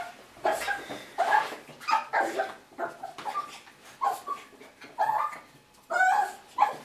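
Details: Young Russian Toy Terrier aged six and a half months welcoming owners back from work: a fast string of shrill yaps mixed with whining squeals, roughly two per second, loud and insistent.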